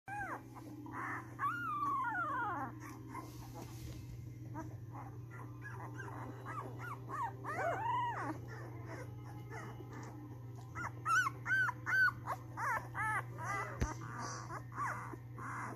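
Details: A puppy howling: drawn-out wavering, arched cries rising and falling at intervals, followed by a run of short, high yelping notes, all over a steady low hum.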